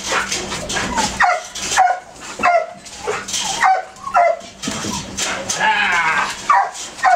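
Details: Male Belgian Malinois detection dog during training; short, high, strained whining yelps that bend downward, repeated roughly every second with brief quiet gaps, over a noisy background.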